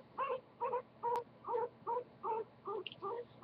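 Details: Pet guinea pig named Goku giving a run of short squeaky calls, about nine evenly spaced notes in three and a half seconds, each a brief harmonic chirp; quiet room, no other sounds.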